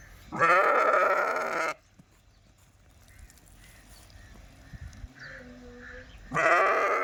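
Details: Sheep bleating: two loud, wavering, harmonic bleats about a second long, one at the start and another near the end, with a quiet stretch between them holding faint background sounds.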